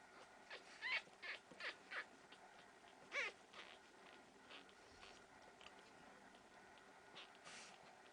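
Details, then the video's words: Week-old Pekingese puppies from Tallinn, Estonia, squeaking in a quick run of thin, high, wavering cries, five or six in the first two seconds, another at three seconds, then softer scattered peeps against low hiss. "Pekingese puppies 1 week old"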